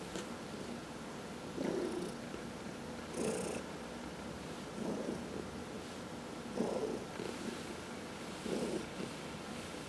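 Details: Pet house cat, among four kept indoors, purring during a massage. A continuous low purr pulses in breathy surges about every two seconds, with brief hissy rubbing noises from handling over it.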